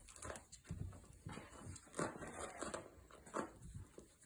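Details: Five-week-old F1 Goldendoodle puppies from Nala's litter, indoors, give short squeaky whimpers, clearest near two seconds and again near three and a half seconds, over steady rustling, shuffling and soft thumps of movement.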